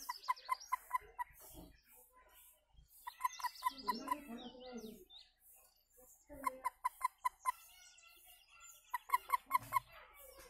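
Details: Frog calling in bursts of about six short, evenly spaced pulsed notes, each burst lasting around a second and returning every few seconds, with higher chirping sounds and scattered lower noises between the bursts.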